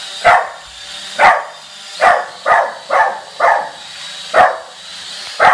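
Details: Dog barking at a drone: seven sharp, hoarse barks in under six seconds at uneven intervals, with a faint steady hum in the background.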